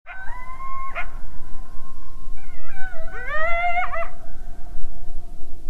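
A coyote calls with long, tonal howls that waver and rise in pitch, each broken off by a quick yelp. A second, higher howl climbs and quavers before cutting off abruptly over a low background rumble.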